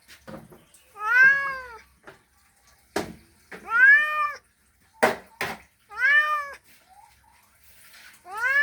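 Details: Male cat calling to a female as a mating call: loud drawn-out meows, each rising then falling in pitch, about one every two seconds, with short sharp clicks and faint breathy noises between calls.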